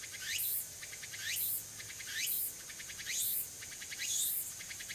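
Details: A Walker's cicada (tsukutsuku-boshi) sings on an early-autumn afternoon, 6 September 2022, at Furuta, Nishinoomote, Tanegashima, Japan: a shrill, pulsing phrase sweeping upward, repeating about once a second.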